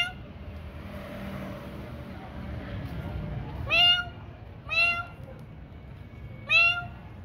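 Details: Domestic cats at night feeding time: three loud, clear meows with rich harmonics, each rising then falling, spaced about one to two seconds apart, over a low steady background hum.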